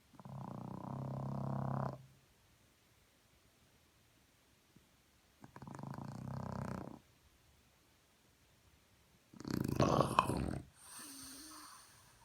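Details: A French Bulldog's morning snoring: three separate rasping, rattling breaths spaced several seconds apart with silence between, the last one harsher and noisier, followed by a fainter rumble.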